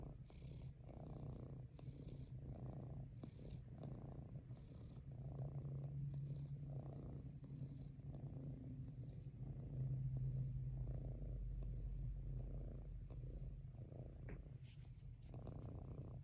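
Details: Pet cat purring as it is rubbed on a lap; steady low rumble pulsing in regular breath cycles roughly every second, with soft breathy rasps layered above.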